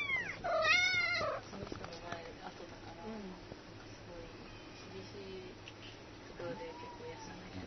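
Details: Kitten unable to climb down, crying "myaa myaa" to its mother cat, who then appears: one loud, strained, harmonic-rich meow in the first second, followed by quieter faint mews and soft human voices in the background.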